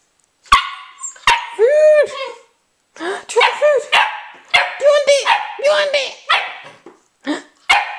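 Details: Old English Sheepdog puppy at mealtime, giving a string of short, arched, yelping barks and whiny yips about every half second, with sharp clicks and knocks between them.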